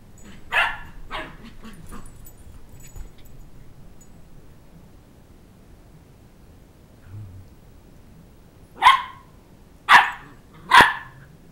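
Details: Two-month-old Sheltie puppy chasing a two-year-old child around a coffee table for his stuffed toy dog head; a few sharp barks near the start, a quiet stretch, then three loud evenly spaced yaps at the end.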